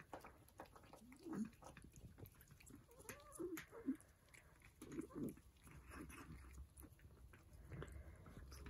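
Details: Persian cats eating breakfast, with sharp crunching chews and clicks interspersed with short, low, throaty vocal sounds between bites.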